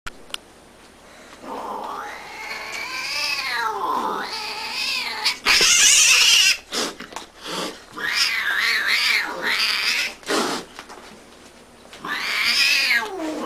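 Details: Cat yowling indoors in drawn-out, wavering cries that swoop up and down, several long howls broken by short gaps and a loud harsh burst midway.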